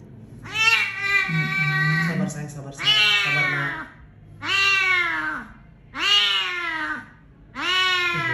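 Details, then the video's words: Roadside rescue cat with a broken jaw after a vehicle strike, brought to a veterinary clinic. Five loud, strained meows about a second and a half apart, each bending downward, with a low voice murmuring beneath the first ones. "KASIHAN MEONG DITABRAK DAN DIBIARKAN DI PINGGIR JALAN"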